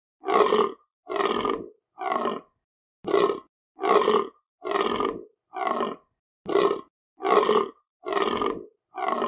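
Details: Repeated guttural deer calls: coarse, roar-like grunts of about half a second each, delivered at a steady rate of a little over one per second, separated by brief silences, with no other sounds.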